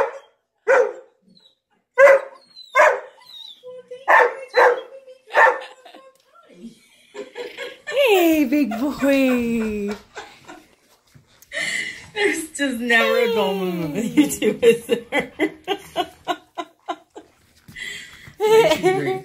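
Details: A Siberian husky, which had not howled in about 11 months, reacts to videos of a howling Malamute and Husky: short, evenly spaced barking yips, then long, wavering howls falling from high to low, with voices overlapping in a chorus.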